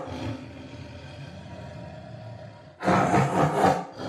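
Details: Tiger giving a single short, harsh roar of about one second near the end, after a stretch of low rumbling background noise.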